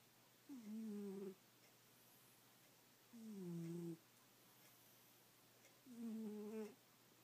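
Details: Sleeping domestic cat snoring heavily indoors; three drawn-out, tonal, slightly falling breaths about every 2.7 seconds, each lasting under a second, with a quiet room between them.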